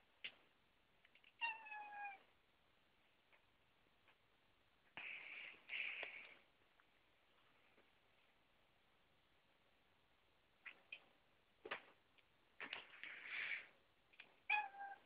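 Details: Pet cat indoors, one of several house cats around a door, including the black and white Sparta: two short harmonic meows at about 1.5 and 14.5 seconds, separated by scratchy bursts, clicks and rustling thumps.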